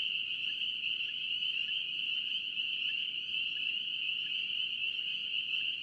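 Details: A North Carolina chorus of spring peepers keeps up a bright, unbroken high-pitched drone, with fainter separate lower notes dotted through it about every second.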